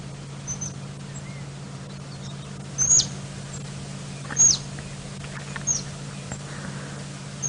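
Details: Dwarf mongooses at Djuma, Sabi Sand, chitter with sharp, high chirps every second or two over an engine hum. They have chased a snake, possibly a mamba, up a combretum tree at sunrise on 25 November 2017, in rain.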